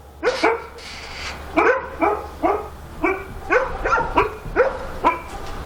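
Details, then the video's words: Dog barking at night in Korea, a loud insistent series of about a dozen sharp barks, often in doubled bursts, repeated roughly every half second over a low hum. "밤중에 개짓는 소리"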